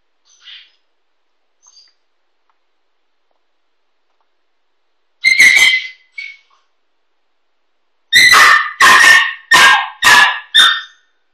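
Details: A 15-week-old female Kooikerhondje calls for her owner, who has gone out of the backyard. A few faint whimpers give way to a single bark and then a quick run of five loud, high yapping barks about half a second apart.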